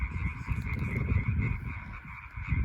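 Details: European tree frogs (Hyla arborea) call together at night from a pond in a bull pasture in France, making a steady, rapid, rasping chorus over a heavy low rumble.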